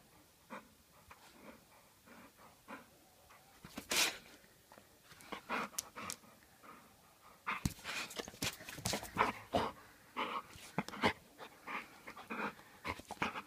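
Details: Bull Terrier in Transylvania, described as aggressive; irregular breathy huffs and short sharp broadband bursts, sparse at first, then denser clusters of yelping noises through the second half, recorded indoors.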